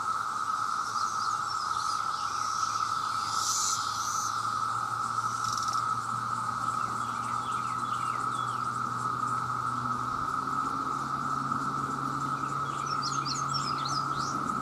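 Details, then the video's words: Calling male cicadas, millions strong and seeking mates, hold a continuous loud drone while small birds chirp in short high bursts and a low engine-like hum runs beneath. "The Sound of The Cicada"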